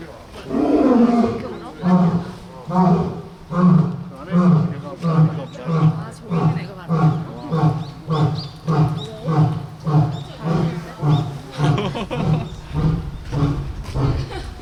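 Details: Captive lion at Cheongju Zoo, South Korea, roaring as another lion runs in: an opening deep moan, then a long series of low, pulsed grunts repeated about every half second, gradually fading over fifteen seconds.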